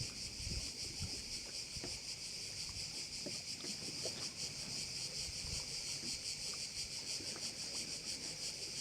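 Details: Crickets heard at a bay in Korčula, Croatia: a dense, steady, pulsing high-pitched buzz runs throughout without pause, over faint low rumbles and scattered knocks from the shoreline.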